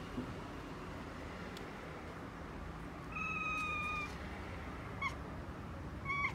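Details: Okinawa cats talking to birds, a two-year-old black male and a female calico kitten: quiet start, then a clear level mew lasting about a second, followed by a few quick short chirps.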